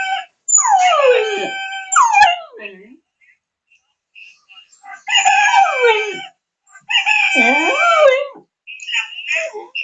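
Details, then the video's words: Cocker Spaniel barking and howling in long, yodeling wails that slide downward in pitch, three drawn-out bouts spaced a few seconds apart with short quiet gaps, plus some fainter higher notes near the end. "¿Cocker barking?"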